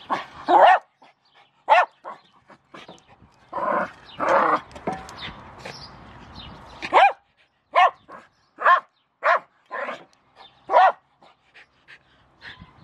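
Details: Milo the Jack Russell Terrier yaps at a shovel, loud barks at first, a noisy scraping stretch, then evenly spaced sharp barks about every second.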